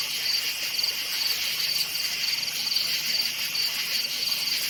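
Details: Forest crickets at night: sharp high chirp groups repeating about twice a second, steady and rhythmic, over a background wash of insect buzzing.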